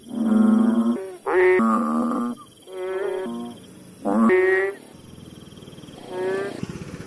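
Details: Village frog giving loud, nasal, harmonic croaks, each around half a second to a second long, in quick succession with some overlapping and rising notes, over a steady high background hum.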